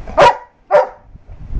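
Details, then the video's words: A Labrador at bedtime gives two short, sharp barks about half a second apart, each a broad burst, followed by quiet low household rumble. "Labrador videos"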